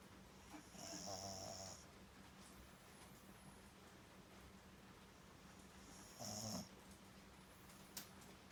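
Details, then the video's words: French Bulldog named Daifuku snoring: a long rasping snore with a low buzzing rumble and a hissy high edge, about one second long, then quiet breathing and a shorter second snore near the end. "フレンチブルドッグ 大福3 いびき？！"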